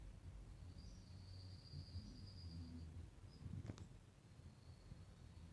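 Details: Hornet colony taking over a honeybee hive at Kılçak, Alaplı, with hornets coming out of the hive: low, droning wing hum with steady harmonics, a thin high insect trill in the background, and a sharp click near the end.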